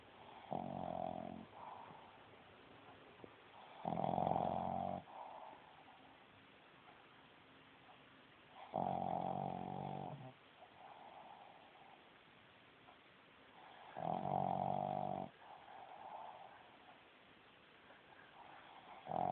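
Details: Sleeping female Boston Terrier with a short little snout snoring loudly indoors: deep, rattling snore bursts about one second long, returning roughly every five seconds, with quiet breathing between them.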